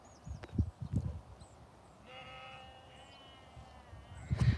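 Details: A sheep gives one drawn-out, quavering bleat lasting nearly two seconds during a walk outdoors, framed by low thumps and handling noise before and after.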